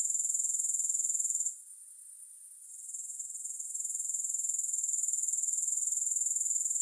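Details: Grasshoppers heard without music: a high, shrill insect trill of rapid, even pulses runs steadily, briefly drops almost to silence after about a second and a half, then gradually swells back to full strength.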